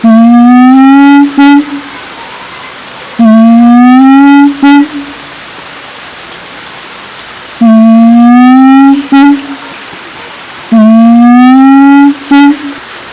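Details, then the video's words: A siamang, or kera gondok, calling at Taman Kyai Langgeng park, Magelang, gives four loud, rising, horn-like hoots about three seconds apart. Each hoot is followed by one or two short clipped notes. "suara asli siamang kera gondok"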